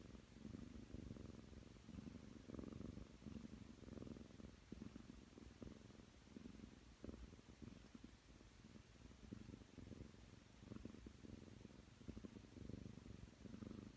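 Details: Nine-month-old Ragdoll cat kneading and purring on a bed, a softer, slightly more distant low rumble with gentle breath-paced swells and light rustling over quiet indoor background.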